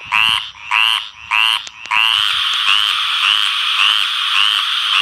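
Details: Tree frogs giving loud mating calls at night, harmonic and nasal, first as three short separate notes, then a near-continuous trill.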